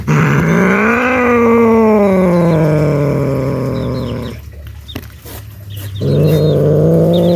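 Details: Scared cats making a loud noise: a low, drawn-out growling yowl that rises, then slowly sinks, breaks off into rustling, then resumes as a steady moan.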